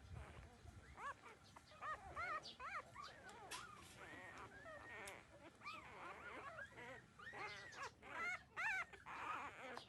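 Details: Thirteen-day-old puppies nursing from their mother, giving many overlapping high whimpers and squeaks, short arched whines rising and falling in quick irregular succession, with soft shuffling throughout.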